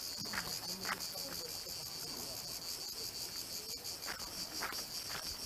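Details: Cicadas in Dalmatia, Croatia sing a steady, shrill, high-pitched buzz that carries on without a break.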